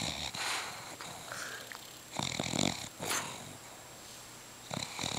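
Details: A pet dog napping indoors snores loudly, with breathy, rasping snorts in irregular bursts, some louder puffs and cheek-puffing exhales between quieter stretches.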